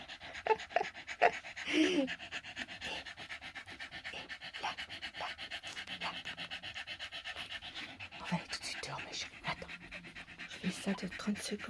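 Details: Staffordshire Bull Terrier with a five-day-old litter, recorded 1 November 2023 at 21:20, breathing in quick, even panting puffs throughout, while a woman talks softly in French nearby.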